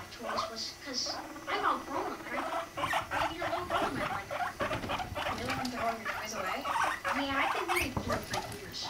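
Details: Mating guinea pigs, Rumply with five-month-old Fluff; a steady stream of fast pulsed chatter, roughly a hundred beats a minute, with low humming rumbles sliding up and down beneath.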